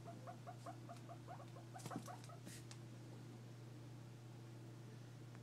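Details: A guinea pig makes a series of soft, quick squeaky chirps over a steady low electrical hum, with faint tapping and clicks in the middle.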